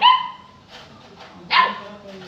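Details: A Saint Bernard puppy gives two clear barks, a strong tonal yelp at the start and another about one and a half seconds later, with soft faint yaps in between.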